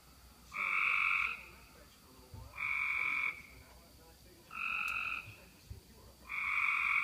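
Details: Frogs calling at a roadside ditch at night after heavy rain, 11:35 pm on June 5, 2016: long buzzy trilled calls, each about a second, repeated every one and a half to two seconds over a steady hiss of background noise.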